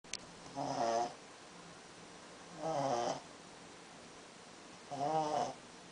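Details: A napping Pekingese dog snores in slow, rasping breaths, each lasting about half a second.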